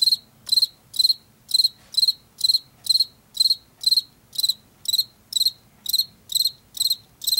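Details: Field cricket from Washington chirping loudly and evenly, about two crisp high chirps each second for the whole stretch, with only faint low background hum beneath.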